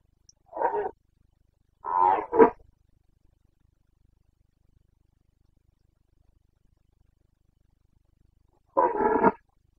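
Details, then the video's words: Carpathian red deer stag roaring in the Bucovina mountain forests at rut time, September 2022: a short hoarse bellow, then a double roar broken into two bursts, a long silence of about six seconds, and a final grating roar. "Boncănit / Carpathian stag Breeding season 29.09.2022"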